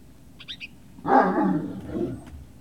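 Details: Great Dane puppies at Puppy Hill, recorded 18 November 2018: a few thin high squeaks, then one sustained rough, roaring growl-bark lasting over a second that fades with a trailing rumble.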